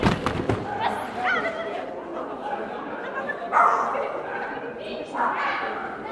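A Basenji gives short, rising, yodel-like yelps among human voices.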